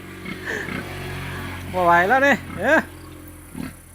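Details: Anchan, a pure-blooded wild boar piglet described as clever, gives two loud harmonic squeals, a half-second rising-then-falling cry followed by a shorter one, while people talk nearby.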